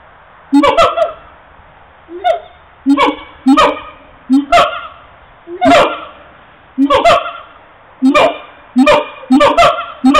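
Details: Siamangs captured with a mobile phone, giving loud nasal honking calls, single or in quick pairs, with pauses of one to two seconds between bursts.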